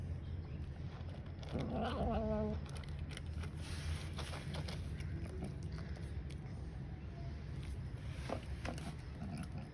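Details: Grey and white domestic cat gives a warning sound while eating as another cat, a ginger, lurks nearby. One short tonal, wavering vocalization lasting about a second, amid eating noises and low background rumble.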